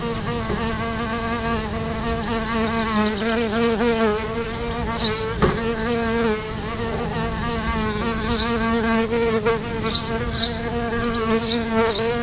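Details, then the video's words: Several solitary bees humming around a nest by a house's front door, a sustained low buzz with layered overtones and gentle pitch wobbles, plus a faint click midway. "Solitary Bees outside my House - Solitary Bee"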